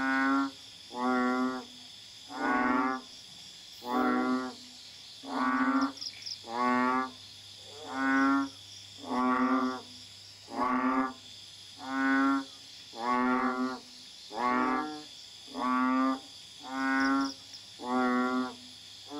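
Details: At night in a garden in Kuala Tahan, Pahang, Malaysia, a banded bullfrog (Common Asian Bullfrog, Kaloula pulchra) calls in the background with deep, nasal, bleating calls, one roughly every second and a half.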